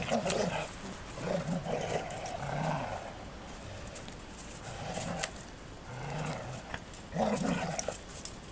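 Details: Two female Golden Retrievers growling in rough, rumbling bursts as they play together, then suddenly get into a real scuffle.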